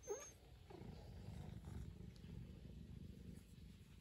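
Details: A pet cat gives a quiet, continuous low rumbling purr after a short squeak-like sound at the very start.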